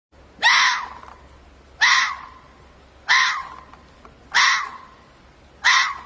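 A fox gives harsh, hoarse screams, each one a short ragged shriek repeated about every second and a half.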